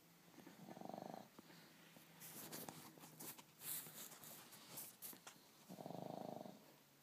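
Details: A pug named LuLu snores indoors while Charlie, a little black pug puppy, drifts off to sleep out of boredom. Two loud, rasping snores come about five seconds apart, with faint rustling and clicks between them.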